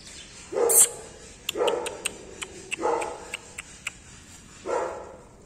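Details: Golden Retriever puppies barking in four short, bright yips spaced roughly one to two seconds apart, interspersed with small clicking noises.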